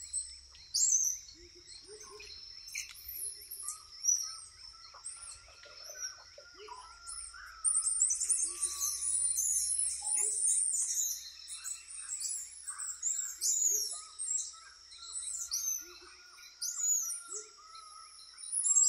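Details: Squirrel monkeys (Saimiri sciureus) in the Amazon rainforest of Leticia, Colombia: a burst of many high, squeaky chirps and twitters that overlap, over a steady insect drone and scattered lower bird whistles.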